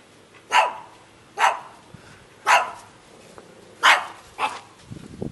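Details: Barking of a shaggy dog recorded in Jeonju, Korea: five loud, crisp barks roughly a second apart, each a short bright burst, with a soft rustle at the very end.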